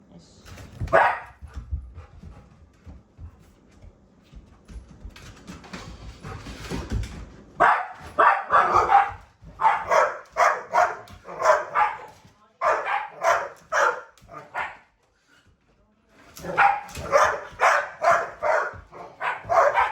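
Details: Pet Labrador Retriever, turned beastly with excitement over a vacuum cleaner and playing a vacuum battle alongside a Shiba Inu, lets out rapid bursts of sharp, loud barks, many in quick succession, after a quieter opening with scattered rustling and a single early bark.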